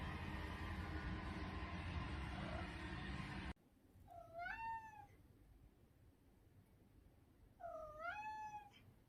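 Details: Domestic cat from a compilation of funny cat clips: after a noisy opening stretch, two clear drawn-out meows, each rising then falling in a smooth harmonic arc, spaced about three and a half seconds apart in a quiet room.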